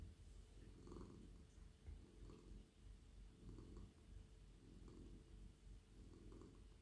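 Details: Friendly, very soft male domestic cat purring while stroked on the head, neck and body as he melts in a lap; a deep continuous rumble swelling with each breath about every 1.3 seconds, faint rustles of stroking on top.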